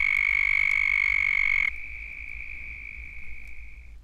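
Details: In Florida, a large breeding chorus of Southern toads, the state's most common toad, gives long, high, buzzing trills that overlap.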